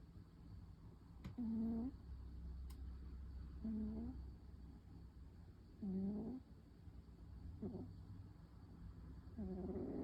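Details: A female tabby cat snoring in deep sleep during an afternoon nap: soft, low, slightly tonal snores repeating roughly every two seconds, each a short buzzy breath with faint upper harmonics, against steady quiet room hum.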